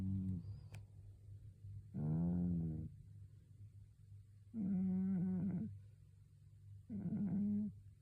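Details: Twelve-year-old cat snoring in its sleep, possibly with a cold; three long rasping snores with a low, harmonic-rich buzz, each about a second long, spaced roughly two to three seconds apart, with a steady low hum underneath.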